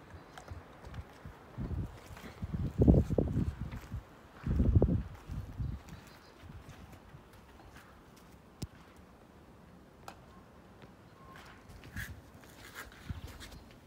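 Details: Slim, a pet Siberian Husky, gnawing a bone down to nothing: a couple of heavy, low crunching bursts early on, then sparse sharp clicks of teeth on bone.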